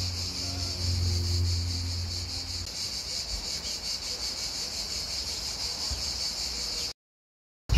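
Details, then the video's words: Cicadas shrill in a steady, high, pulsing buzz on 2 July, over low road rumble and passers-by on a busy market day. "Mais vous pouvez aussi vous laisser bercer par le son des cigales, un petit peu le bruit de la route et les personnes qui passent."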